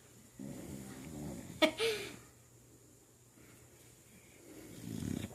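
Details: Awake female dog lying on her back snoring: a low, rasping, buzzy snore lasting about a second, then a sharp snort and a brief wheeze, with a second rough snore building near the end.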